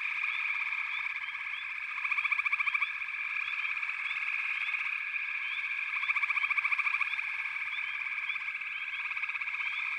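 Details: Frog chorus from backwater: a dense, unbroken wall of many overlapping callers, with buzzy pulsed trills swelling in bursts around two and six seconds and short rising chirps repeated over a steady high drone.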